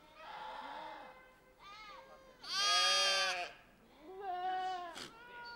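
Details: Pashmina goats herded together with sheep in the Himalaya: a chorus of quavering bleats, one loud harsh bleat standing out in the middle, softer higher calls before and after, with a brief click near the end.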